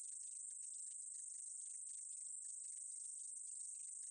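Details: Meadow katydid (2020) producing a constant shrill hiss with irregular bursts of lower ticks roughly twice a second, level and unchanging throughout.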